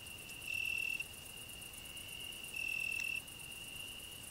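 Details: From a rose bush, a cricket's constant piercing trill with two longer, louder phrases, while a grasshopper sings on the same bush; a faint high shimmer sits above the tone.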